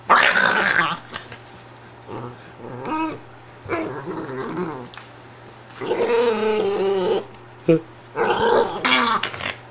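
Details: An upset Italian greyhound, taken out of her bed, growls and grumbles harmonically in irregular bursts, some rising into higher moans, over a constant low electrical hum.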